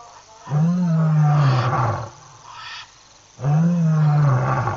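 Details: A lion gives two long, deep roars that swell and then sink away, at night around 11:35 PM SAST on a webcam stream, roaring about a minute after a chat viewer typed a roar, as if responding.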